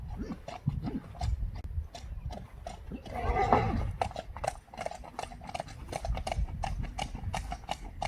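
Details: Friesian horses let out into a meadow on a warm summer evening, galloping and kicking; a brief whinny rises around the middle over continuous thudding hoofbeats on the ground.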